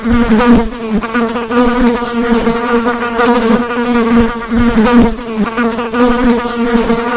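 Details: Continuous buzz of a mass of flies: a thick, humming drone with shifting overtones and gentle surges in loudness throughout.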